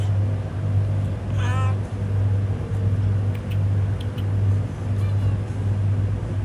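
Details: Homeless cat on a road utters a single short wavering meow early on, then stays quiet while a steady low rumbling drone, like a running vehicle, fills the background.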